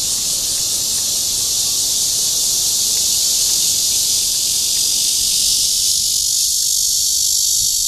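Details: Red-veined cicada calling for a mate in Guangming Park, Zhongli, Taiwan, producing a powerful sustained metallic buzz that fills the whole clip without break.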